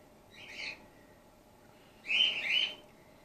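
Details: Two piercing squeaks from Gwickle, a young female grey-headed flying-fox in care, bottle-fed after her mother lost her milk; the first squeak soft and short, the second louder and doubled.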